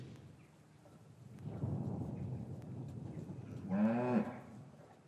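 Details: Cattle in a traditional English farm yard on a winter afternoon after the calves were separated from their mothers. A low rumbling stretch is followed by one short, harmonic moo that rises slightly near the end. Recorded on a matched pair of Rode M5 microphones.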